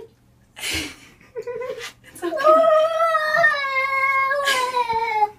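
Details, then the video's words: House cat refusing to be bathed gives a long, sustained moaning yowl that slowly falls in pitch near the end. Short bursts of human speech and splashy noise come before and after it indoors. "Cats Saying "No" to Bath"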